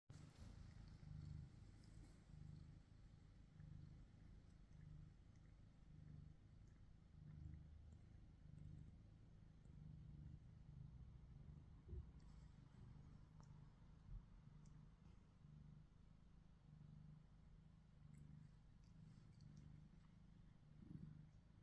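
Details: Domestic cats, Tom, a black-and-white shorthair male, and Charlie, a gold British Shorthair male, filmed on a Samsung Galaxy S23 Ultra: low rumbling purr in steady cycles, each breath phase lasting about a second, with faint rustles.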